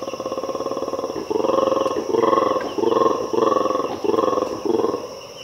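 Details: Black-and-white colobus (mantled guereza) monkey in Ethiopian cloud forest giving a series of deep, rattling, pulsed roars, each burst repeating about twice a second.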